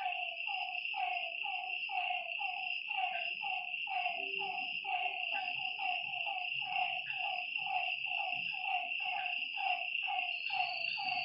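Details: Frogs calling at night by a lakeside: a dense chorus of short, pulsed, mid-pitched notes repeating rapidly and overlapping, over a steady high, shrill insect drone.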